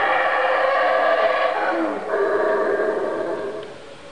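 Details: Mexican howler monkeys at the Calakmul Mayan ruin, 28 April 2010: a loud, rough, sustained roar with stacked tonal bands lasting about two seconds, then a brief dip before a second drawn-out roar that slowly fades.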